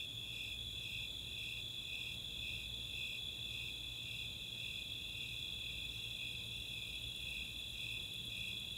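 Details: Summer nighttime chorus of Snowy Tree Crickets and Four-spotted Tree Crickets in the open space of Chautauqua, Boulder, Colorado: a steady high pulsed chirping over a continuous shrill trill, evenly sustained throughout.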